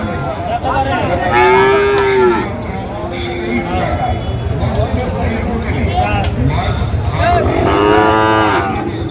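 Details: Young Sahiwal bull calves, farm-suitable stock, at the busy Ambari market in Dinajpur, Bangladesh, early Ramadan 2025. Repeated moos: a long, slightly falling call, a shorter one soon after, then a third later, over a constant hum of traders' voices.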